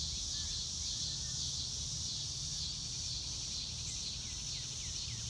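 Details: Crickets chirp in an unbroken high-pitched chorus in the open countryside under clouds. Near the end a bird adds several short, falling whistled notes over a soft low background rumble.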